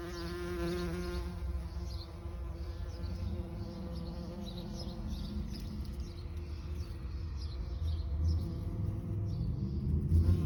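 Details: Bees buzzing in a continuous low hum that wavers in pitch, with stacked harmonics and a brief rising swell near the end.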